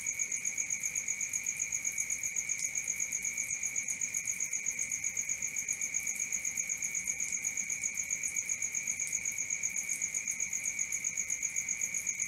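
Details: Crickets calling at night, a constant piercing trill made of rapid even pulses on two high tones, steady from start to finish.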